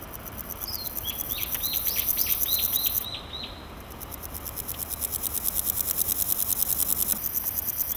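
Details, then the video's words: Male naki-inago grasshopper calling in grass, rubbing hind legs against its wings: a high, rasping train of rapid pulses swelling for three seconds, pausing, then building again; short bright bird chirps overlap the first half. "ナキイナゴ 鳴く"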